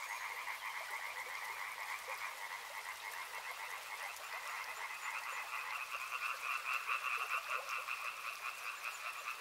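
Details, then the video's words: Dense chorus of many frogs beside a river, calling nonstop in two bright pulsing bands, one high and one mid, with rapid overlapping croaks that swell slightly louder toward the end over a steady soft hiss. "Frog Sounds | Soothing sounds of river and frogs"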